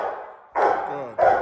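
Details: A young Rottweiler in protection training gives two deep, sharp barks about half a second apart during a hold-and-bark exercise, pivoting on a platform.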